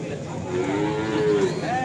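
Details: At the Kerek cattle market in Tuban, East Java, cattle including Simmentals give a smooth, level moo that bends slightly downward, followed by a brief higher call, over a constant hum of market voices.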